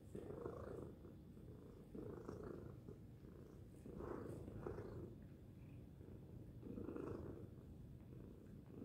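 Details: Pet cat giving a loud purr, a low rumbling drone that swells and fades in a slow rhythm of inhale and exhale, roughly every one to one and a half seconds.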